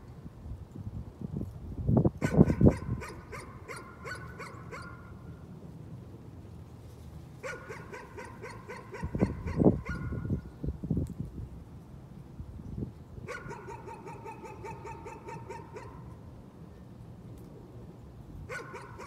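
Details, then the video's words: Nuisance barking: a dog barks in several rapid bursts separated by short pauses, each burst a string of quick sharp barks, mixed with louder low thumps and rumbling noise. "Nuisance barking again."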